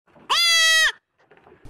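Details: A goat (Capra hircus) gives one loud, nasal bleat lasting about half a second.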